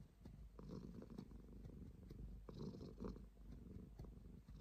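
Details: Rumbling cat purr pulsing in waves with each inhale and exhale, steady and low, accompanied by faint clicks and small movement sounds.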